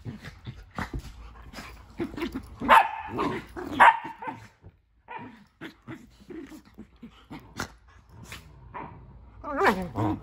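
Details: Playful scuffle between pet dogs Nala and Jersey over a tent in their new playroom: two strong barks stand out amid steady grumbling growls and short huffs, ending in a rising whiny yelp.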